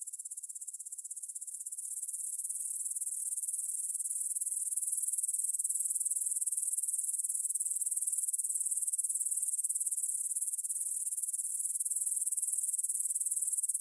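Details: Evening meadow chorus of grasshoppers near the Svensky monastery, Bryansk, Russia, 9pm, 6 September 2020, Tascam DR-44WL stereo recorder: dense, shrill, continuous buzzing trill of fast pulses that grows louder over the first few seconds and then holds steady.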